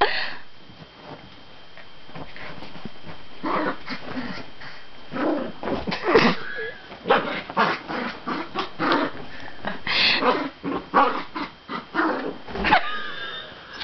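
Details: Dachshund, a pet dog, giving a run of short whining and growly vocal bursts that build from faint at the start to louder, closely spaced yelps in the second half, with a brief break near the end.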